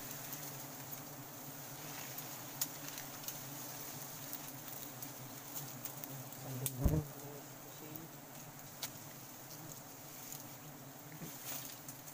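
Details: Wild forest honey bees during a sustainable honey harvest: a steady, low droning hum runs throughout, broken by scattered sharp clicks and taps and one louder knock near the middle.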